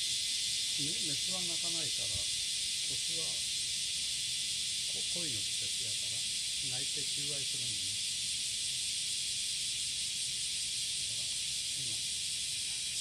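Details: On a July morning in 2017, a cicada sings its courtship song, a steady, high, hissing drone without a break, with a person talking quietly over it.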